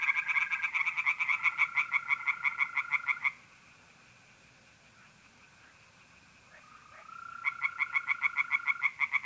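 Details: Tree frogs singing in a pond at night in mid-April in north-east Italy, with mole crickets trilling: loud, rapid bursts of harsh, pulsed notes, broken by a pause filled with a thin, steady trill.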